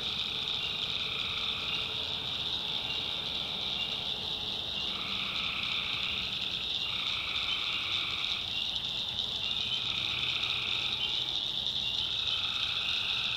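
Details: Tree frogs at night in a swampy North Carolina backwoods, steady high-pitched chorus overlaid with repeated call bouts of one to three seconds that switch on and off in alternation.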